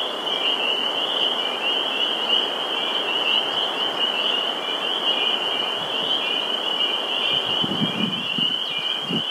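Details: Many spring peepers call together at a vernal pool in Sudbury, Massachusetts, 11 April 2019, making a continuous high piping drone, with a few low rumbling thumps near the end.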